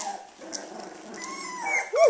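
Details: Australian Shepherd puppies, 18 days old and just starting to play, give a thin rising whine near the end after soft low growly rumbling, with faint high squeaks in between.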